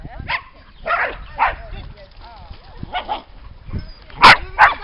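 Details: Dogs at the lakeside in Lida Nature Reserve in summer, with scattered muffled barks among talking people, ending in two loud sharp barks.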